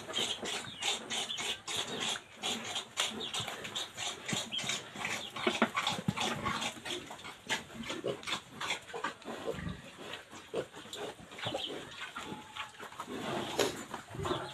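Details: Pigs in a Philippine piggery with new F1 gilts, where one sow has given birth and another is pregnant. Dense, rapid bursts of short harsh grunts and squeals follow one another throughout, over a noisy barn background.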